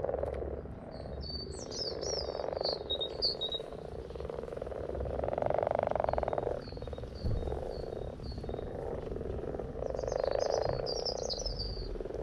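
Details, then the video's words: Many frogs croaking at once, a continuous rough pulsed chorus rising and falling in intensity, with brief high chirping phrases near the start and end. "In case you needed 2 minutes of Frogs in their happy place"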